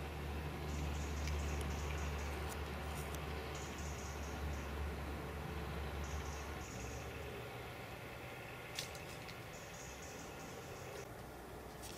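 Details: Steady low rumble and faint hum at night, with soft dripping ticks and a few brief high clicks, no clear animal call.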